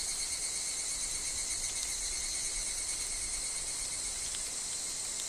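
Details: Higurashi evening cicadas calling in a woodland where wind and falling leaves are heard: a dense, steady, high-pitched shrill drone with a fainter whining tone beneath, unbroken throughout.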